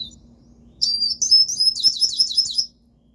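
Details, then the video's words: Pet siskin gives a short burst of song about two seconds long: rapid, high, tinkling twitter notes run together into a warbling trill, then silence. "canto do pintassilgo, siskin"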